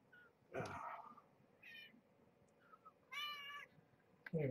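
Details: Young kittens, part of a litter of five born November 22, 2014 to rescued stray Marge at Purrfect Pals, woken from sleep-nursing naps for a weigh-in: two short harmonic mews, the second louder, with a low voice-like sound and a thump.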